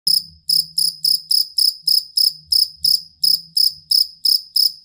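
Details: Cricket, a jangkrik kalung or fighting cricket kept as a master sound for training competition songbirds, giving shrill high chirps about three per second in a slightly uneven rhythm, each pulse ringing with bright overtones, over a faint low rumble.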